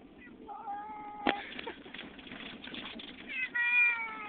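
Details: Domestic cat frightened during a trip to a new house, giving a soft meow, a sharp knock, then a louder drawn-out meow at the end, over continuous low rumbling.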